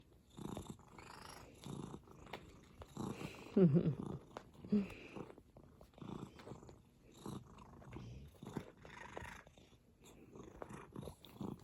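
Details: Domestic cat purring in contentment: a low, rumbling purr pulsing in steady bursts about twice a second, with a few soft voice sounds from a person nearby.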